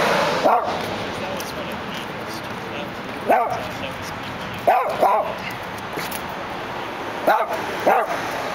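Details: Male Dachshund looking through a gate in Los Angeles, giving six short, sharp barks spaced irregularly, two of them close together, over a steady hum of city background noise.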